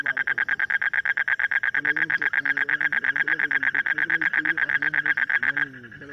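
A frog gives a fast, steady train of rattling pulses, with a man talking quietly underneath.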